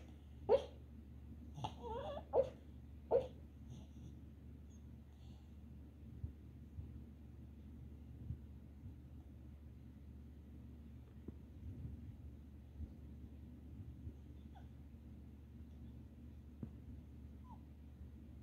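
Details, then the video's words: Red Boston Terrier whimpering in its sleep while dreaming: a few soft, breathy yelps bunched in the opening four seconds, followed by near silence and faint breathing over a constant low hum. "Red Boston Terrier dreaming again"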